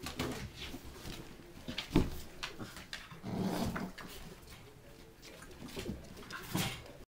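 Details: Bull Terrier puppies, ten weeks old, make three short, low grunting whimpers spaced a few beats apart, with rustling and handling noise indoors in between.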